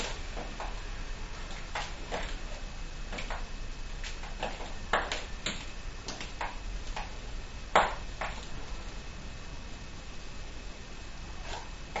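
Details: Scattered sharp pings and clicks, like drops striking a hard surface, sound over a low steady hum. No clear animal call stands out.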